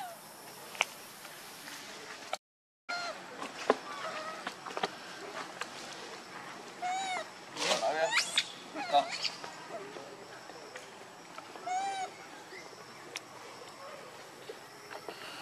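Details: Monkey Rainbow, very angry, protecting Lucie from Kachoy: bursts of arched, harmonic squealing calls around the middle and again later, over steady insect hiss and faint background voices.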